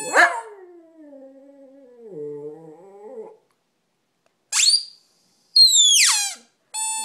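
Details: Low drawn-out howl from a dog, starting with a sharp rise and then holding a steady wavering tone for about three seconds, followed by bright descending squeaks and a thin steady whine.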